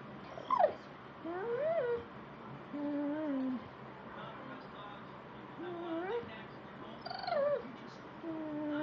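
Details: A pet beagle watching a wildlife programme on television gives a series of drawn-out, wavering whines, some rising then falling, spaced every second or two, with a person speaking softly near the end.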